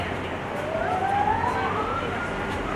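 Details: A gibbon at the Cincinnati Zoo, Ohio, gives a single pure, whooping hoot sliding smoothly upward over about two seconds, over steady crowd murmur and background noise.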